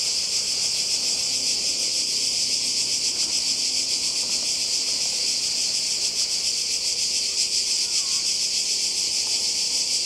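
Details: Many cicadas calling together by the sea in Croatia, summer 2020: a relentless high buzzing wall of sound with slight wavering pulses and faint low background rumble.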